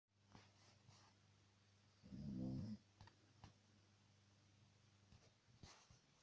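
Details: Sleeping dog snores once, a low, rasping, buzzy breath lasting under a second, in a quiet room with faint clicks and a steady hum.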